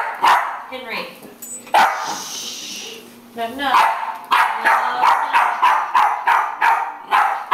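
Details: A Jack Russell Terrier barks at a broom, starting with a few scattered yaps and then breaking into a rapid, steady volley of about three barks per second, with brief voice-like sounds in between.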